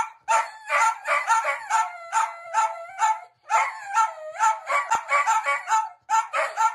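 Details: Sausage dog, a Dachshund kept as a pet, barking rapidly and excitedly, the yaps running into drawn-out whining tones between bursts, with a short silent gap midway.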